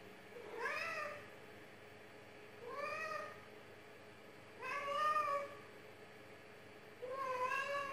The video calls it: This cat has the sweetest meow!